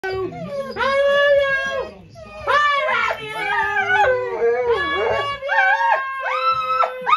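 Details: Golden Retriever answering its owner's "I love you" with drawn-out, howl-like whining vocalizations in a small room, pitch sliding up and down in phrases that mimic the words, a human voice alternating with the dog.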